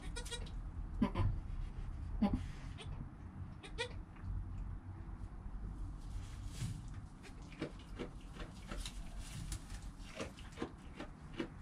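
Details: Newborn goat kid Joel, within the first hour after birth, with his calm mother Penny nearby, captured on a GoPro. Short, wavering bleats come at irregular intervals, clustered around the first few seconds and repeating later, over a steady low rumble.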